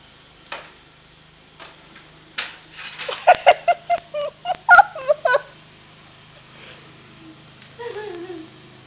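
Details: Jack, a pet dog, vocalizing indoors while the floor is being swept: a burst of short, rising and falling harmonic yelps and whines in the middle, then a drawn-out falling whine near the end, with soft knocks around.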